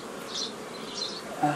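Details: Bees droning during old-style nucleus colony formation on 15.05.2018, the colonies drawn from a foraging swarm formed earlier; a smooth hum with two faint high swells and a brief louder tone near the end.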